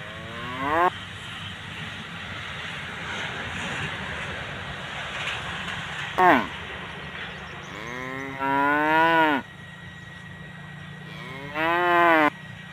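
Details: Tame cows grazing alongside their calves give four loud, harmonic moos spread unevenly across the stretch, some sweeping down then rising, the last two drawn out for about a second each, over a steady low background hum.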